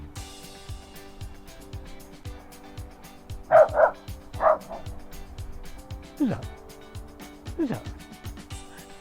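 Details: A dog on the other side of a river gives a few short, sharp barks over a steady musical background during a terrier walk.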